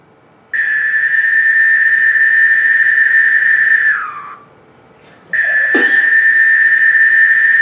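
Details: A periodical cicada in Monroe County, Illinois, one of several species in a 13- or 17-year brood emergence, holds a loud, even buzz that slurs downward and fades; after a pause and sharp click, the drone resumes.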